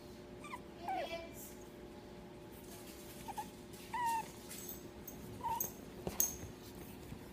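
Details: A Pug puppy gives soft, nasal whines and squeaky whimpers, some wavering, spaced a second or two apart, mixed with faint clicks and shuffling noises in a quiet indoor room.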